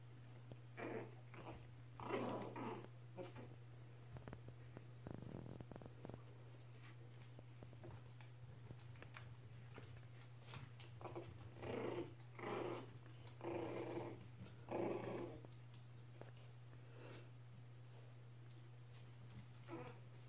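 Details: Norwich Terrier puppies from the S litter playing together indoors, giving rough, throaty growls in short bursts roughly every second, louder clusters midway, over a steady low electrical hum and scattered sharp clicks.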